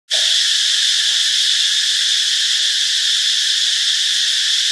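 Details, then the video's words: A cicada in Ubon Ratchathani, Thailand, recorded on 15 March 2021, gives a loud, steady, high-pitched buzzing drone that runs unbroken throughout. "เสียงจักจั่น (Cicadidae)"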